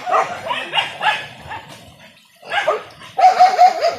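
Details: Indonesian village dog baying during a traditional wild boar hunt with dogs and spears: short bursts of high, ringing yelps in two groups split by a pause, the second run sharper and more continuous.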